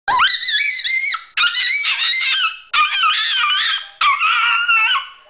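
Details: Pet dog named Lucy McGillidoggie singing, or yelling, indoors in a small room: four long high wavering howls, each about a second and a half, sliding up then wobbling and fading.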